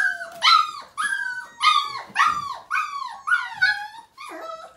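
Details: Whining cries from a five-week-old Siberian Husky puppy during its first bath, 2017: seven strong, bent, falling whimpers, each about half a second long, spaced roughly every half second in an indoor room.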